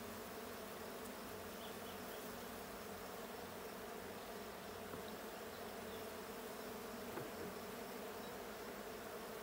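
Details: Buzzing of honey bees in the blue hive during a June 20, 2022 hive check, a constant, full hum rich in low and middle tones that holds evenly from start to finish.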